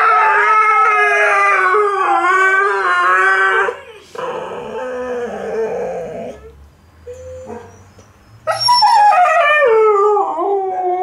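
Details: Duet howling by Tikaani the Malamute and Wolf the Husky for Dear Tonka: wavering loud howls, a quieter low murmuring middle stretch, then a sharp rising howl that slides downward.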